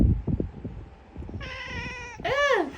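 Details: A grumbly domestic cat in a very good mood meows in reply when its owner calls to it indoors: a short, steady, nasal tone, then a louder, rising-and-falling meow, after the owner's voice.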